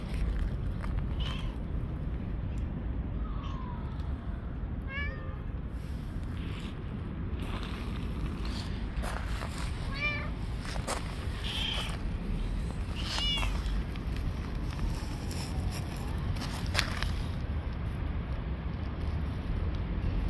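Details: Street-living stray cats, hungry, calling repeatedly: several short wavering meows spaced a few seconds apart, with voices and a constant low outdoor hum behind them.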